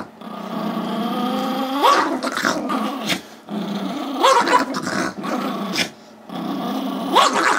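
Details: Gizmo, a five-year-old Chihuahua/Yorkie mix, wants the squeaky toy held by Tigger, a two-year-old Yorkie, and they tug for it. Low droning growls swell into three sharp upward-sweeping yelps, spaced roughly every two to three seconds.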